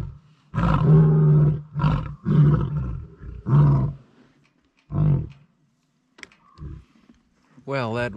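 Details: Lionesses of a pride vocalize at dusk in the Timbavati, Kruger area, after giving up stalking buffalo at close range; deep, moaning roar bursts shortening into grunts, with males possibly approaching.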